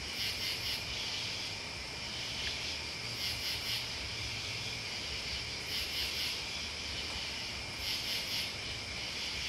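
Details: Crickets with other bugs keep up an unbroken high buzzing trill, while clusters of piercing chirps rise out of it at intervals of about two to three seconds.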